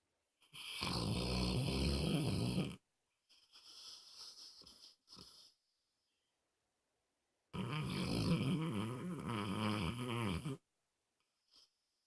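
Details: Moses, a pet dog, snoring loudly indoors: a long rumbling, rattling inhale, a softer wheezy exhale, a pause of about two seconds, then another long harsh snore.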